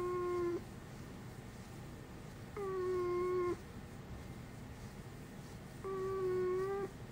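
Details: A dog that never barks and instead makes a human-sounding voice, uttering three steady, flat, tonal cries of roughly one second each, spaced about three seconds apart, indoors with little else heard.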